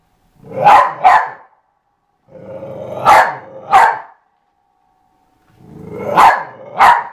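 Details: A dog playing with a skateboard barks in quick pairs, three double barks spaced a couple of seconds apart, each preceded by a short rising growl, loud and close with silence between.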